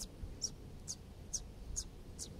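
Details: An Eastern Chipmunk gives its chip-chip alarm call, used for ground predators such as a person nearby: sharp, high chips repeated about twice a second over a low background rumble.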